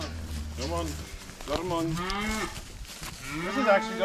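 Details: Cattle being moved home on a farm, several overlapping lowing moos with rising-falling harmonic bands, mixed with background noise and faint voices.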